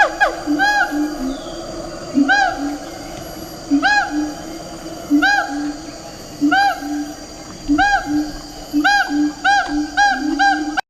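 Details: Siamang of Sumatra, calling while leaping, a voice said to carry over long distances; short arched tonal calls with strong overtones repeat about every second or so, rising then falling, over a steady low droning hum.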